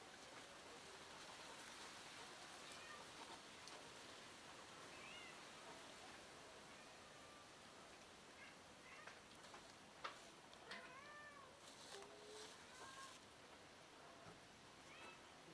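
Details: Lost female kitten reunited with her family, giving a cluster of short, arched, tonal mews in the second half, a few rising then falling, set against a steady rain-like hiss with scattered clicks and knocks.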